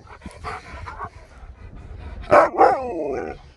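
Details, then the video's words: Husky named Sherpa, after sleeping the whole journey, waking to a surprise as a very happy and shocked dog. Quiet indoor rumble gives way to two loud, sharp yelping barks, then a wavering, howl-like whine that bends down and back up. "Husky wakes up to the Best Surprise Ever!"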